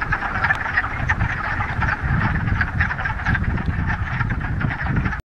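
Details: Frogs massed in a mountain pond in the Ramapo Mountains on the first warm day of spring in mid-March, after a week of rain, producing dense overlapping croaks with low rumble beneath, cutting off abruptly at the end.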